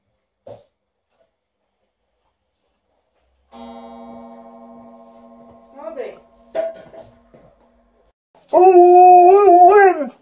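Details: Alaskan Malamute indoors, playing with its favourite fluffy sheep toys, ends with a loud, wavering, harmonic howling 'woo' lasting under two seconds; before it come a steady flat electronic-sounding tone and a few short squeaks amid near silence.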